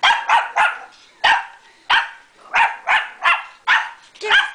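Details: Small Pomeranian puppy attacking a household vacuum cleaner, giving a rapid series of about a dozen sharp yapping barks, some in quick pairs and triplets, while a person eggs it on.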